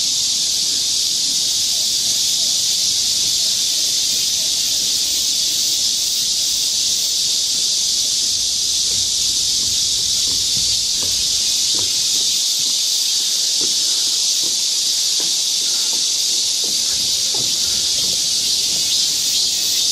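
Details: Summer chorus of many cicadas in the forest of Galsan Park, Mokdong, Yangcheon-gu, Seoul, South Korea: a dense, unbroken, high-pitched buzzing hiss holding steady throughout, with faint low rustling and scattered soft clicks beneath.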